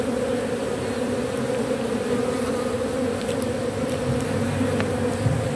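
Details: Steady droning buzz from a robber bee salvaging propolis off matchsticks, even in loudness, with faint scattered clicks and small rustles in the background.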